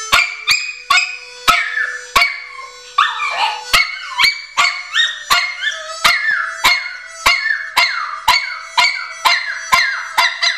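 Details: Pomeranian named Patch howling along to harmonica blues on a Friday night, drawn-out wavering cries sliding downward from high pitch, over a steady harmonica rhythm with sharp regular beats about twice a second.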